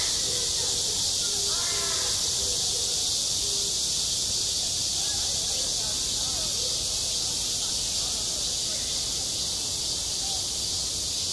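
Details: High-summer cicadas on a school playground: a relentless sizzling buzz steady from start to finish, with children's voices and short cries audible faintly beneath, clearest near the start.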